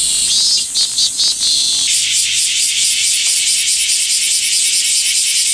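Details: Min-min cicada song doubled in speed to test likeness to the bear cicada; rapid stuttering pulses for two seconds, then an unbroken, piercing high buzz to the end.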